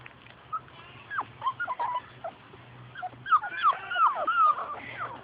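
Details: Labrador Retriever puppies from Grace and Sam's litter playing outside and chasing their mother: squeaky high whines and short yips that slide downward, bunched in quick overlapping bursts, over a steady low hum.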